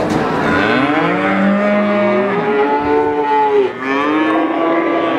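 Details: A cute calf lowing continuously, its nasal harmonic moos gliding up and down in overlapping waves for about five seconds, with a brief dip before a final rising call and a low rumbling background.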